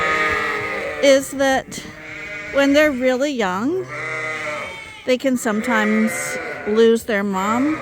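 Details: Suffolk lambs mixed into one big group inside a barn at Ewetopia Farms; repeated quavering bleats, some held steady and others bending up and down, overlapping one another, with brief sharp knocks between calls.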